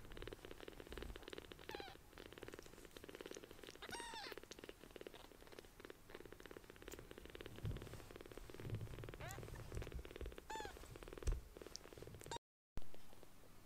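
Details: Small palm-sized rescued kittens purr loudly as they seek affection, a steady low rumble with soft pulsing, broken by a few thin high squeaks or mews and light handling noises.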